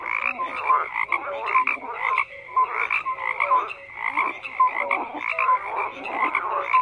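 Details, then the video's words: Frogs croak in bursts that swell and fade roughly every half second, harsh pulsed calls layered with brief clear notes, several callers overlapping. "FROGS CROAKING"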